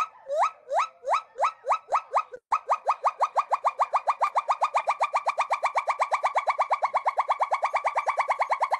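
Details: A gibbon at a conservation center gives its great call: loud whooping notes that sweep upward, repeated faster and faster, sounds made while breathing both in and out.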